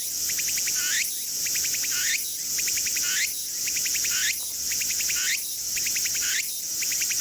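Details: Tsukutsukuboushi cicada (Meimuna opalifera), a Japanese cicada, singing in Mitake forest: rapid rows of pulsed, ticking notes, each row ending in a rising sweep, repeating about once a second over a steady high insect hiss.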